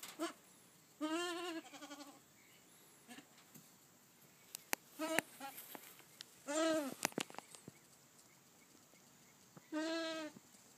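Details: Goat kids two months old at feeding time, giving several wavering, nasal bleats spaced a few seconds apart, mixed with clicks, knocks and rustling of feeding.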